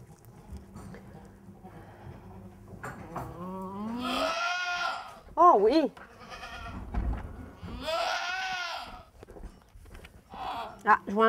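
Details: Poitevine goat giving birth to kids, a first kidding; long wavering bleats rise and fall, mixed with French speech from people attending the birth.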